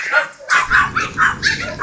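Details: Mero, a Siberian Husky walking with its owner on 7 July 2016, gives a rapid string of short, sharp barks about four a second after a brief pause, with faint background murmur.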